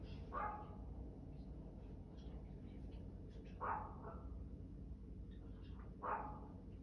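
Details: Dog barking three times, single sharp barks spaced about three seconds apart over a steady low rumbling background noise.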